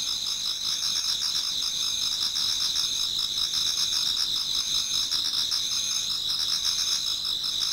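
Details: Autumn insects singing in a Japanese garden towards dawn: a dense, unbroken high chorus of several layered shrill trilling bands, with a softer pulsing buzz lower down, steady in loudness throughout.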